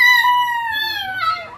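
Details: A 5-month-old Yorkshire Terrier puppy, inconsolable after his owner leaves: a long, tonal howling whine that slowly sinks, then breaks lower at the end.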